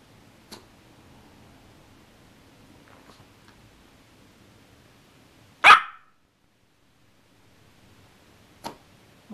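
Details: Little dog with a big temper lets out one sharp, loud bark, surrounded by near silence and a few faint clicks before and after.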